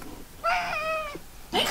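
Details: House cat in a multi-cat household hit by feline herpes, one long meow holding a level pitch then falling at the end, followed by a brief rising cry; quiet indoor room.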